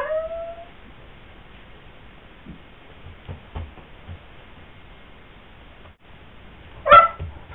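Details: Indoor Pyrenean Mastiff pleading to join its owner gardening outside: opens with a thin, wavering whine that fades within a second, then near-silence with faint shuffles, and a short sharp yelp-like whimper near the end.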